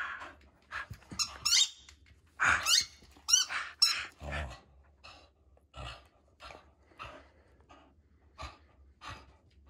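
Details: Storm, a female Border Collie, fighting for her ball: bursts of high, wavering whining squeaks early on, then short, clipped yelps and snuffling breaths spaced about a second apart.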